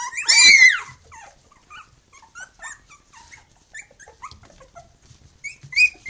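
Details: Khyi-Mi B litter pups, three weeks old, with mother Bhoomi: one loud, sharp yelping squeal opens, then scattered quieter squeaks and whimpers, ending with another rising whine.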